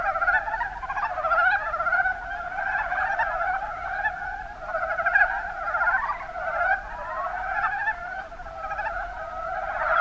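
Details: Mountain brown frog chorus, Rana ornativentris, Kuma Basin, Kumamoto, Japan: numerous frogs produce overlapping pulsed, gurgling trills that merge into one unbroken, rising-and-falling wall of sound.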